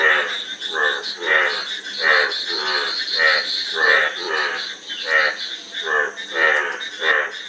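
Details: About eight harsh, buzzy frog croaks follow one another at an unhurried, irregular tempo, each made of rapid pulses, set against a steady background hiss.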